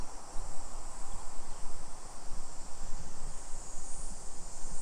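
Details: Cicadas singing in summer along the streets of suburban Nisshin, Aichi Prefecture, Japan, on a July 2021 afternoon; a continuous shrill buzzing band holds level for the whole stretch, with low, rumbling footstep and wind noise underneath.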